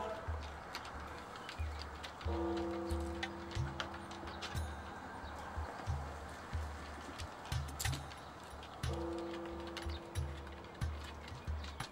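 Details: Background music with sustained tones and a thumping low beat, plus light rustling, and no clear animal call heard.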